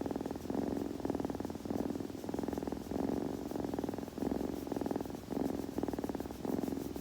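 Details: Close-miked kitten purr for ASMR listening: rhythmic vibrating rumble in clear breath cycles, louder on one phase and softer on the other, repeating steadily for several seconds.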